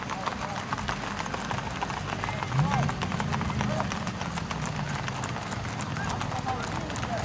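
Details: Tennessee Walking Horses on display during a trail ride in New Boston, Texas; a steady run of sharp clip-clop hoof strikes throughout, with people talking nearby in the background.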